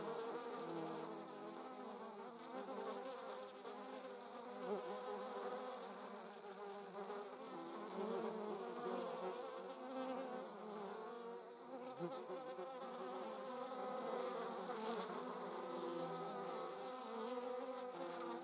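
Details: A continuous hum of German wasps transporting prey: dense, slightly wavering buzzing tones that hold steady throughout, with small surges and dips in loudness.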